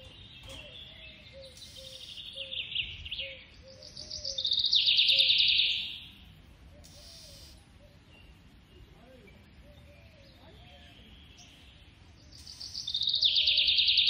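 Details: Young squirrel kept as a pet in India calls while being fed: a long, high, rasping squeal rises to a loud peak and then stops, with quieter chatter in between. A fresh shrill burst follows near the end.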